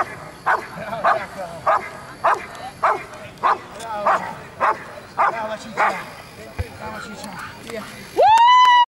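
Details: A female Rottweiler during a temperament test at an Italian Rottweiler club championship barks steadily, about one deep, gruff bark every half second, with a sharp rising whistle at the end.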